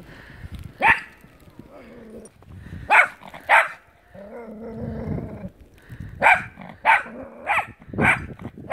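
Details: Dog playing in the snow barking in short sharp bursts, some doubled, with a lower drawn-out growling whine between groups of barks.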